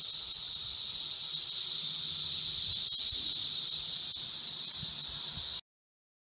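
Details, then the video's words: Continuous high, hissing whine from a crowd of 17-year periodical cicadas, Brood V Magicicada, at Vine and Walnut streets in Logan, Ohio; the drone holds steady, grows slightly louder, then cuts off abruptly near the end. "Cicadas in Logan, Ohio 2"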